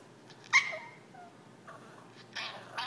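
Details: Yorkshire terrier Jack, begging indoors to play, lets out a sharp yip that turns into a thin high whine, followed by softer whimpers and a couple of breathy huffs.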